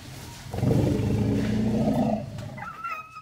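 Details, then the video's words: Herd of Asian elephants at Elephant Nature Park running to greet Dok Geaw, a rescued orphaned baby elephant aged one year nine months; a deep, loud rumbling roar for about two seconds, then a higher trumpeting squeal. "Elephants Run To Greeting A New Rescued Baby Elephant"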